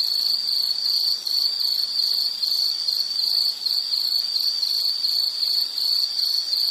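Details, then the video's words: Continuous high insect chirping, rhythmic pulsed trill with slight swells, dense and steady from start to end, offered as background nature sound for relaxation. "Nature Sound of nature sounds scenery L · insect"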